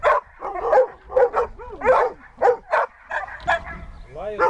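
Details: Siberian Husky Dexter in rescue-dog training, mixing short yelping barks with drawn-out whining tones that rise and fall between them.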